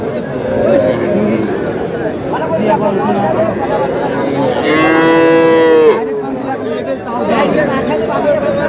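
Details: Cattle, small bulls and heifer calves at a livestock market where a Dhaka farmer buys young animals, 21 February: one long, drawn-out moo lasting about a second, rich in stacked tones, over steady crowd chatter and men bargaining.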